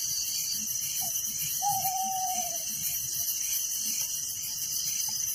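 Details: Crickets at night in a village make a constant high-pitched chirping wall of sound with a rapid lower trill and one drawn-out faint whistle partway through.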